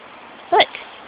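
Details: Dog in Halloween costume giving a single short, sharp bark with bright harmonics, followed by a faint second yip; a person speaks nearby calling the dogs by name.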